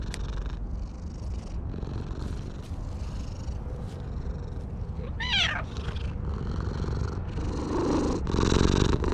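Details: Stray cat on top of a wall, petted and voicing its joy, filmed on a GoPro HERO8 Black: steady low purring throughout, broken midway by a single short, wavering meow, with rustling and brushing noises from the petting.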